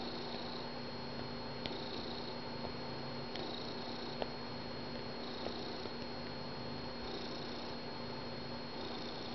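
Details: A domestic cat named Finnegan purrs on the couch during morning coffee, snug with his favourite blanket; the rumbling purr keeps an even breathing pulse of roughly two-second cycles, with a few soft clicks and a constant background hum.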